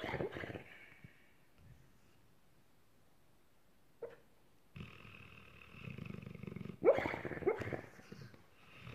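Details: Pet dog dreaming in its sleep after a long hard day, making funny noises: soft muffled whimpers and huffs in short irregular bursts, with quiet pauses between and a few sharper squeaky yelps near the end.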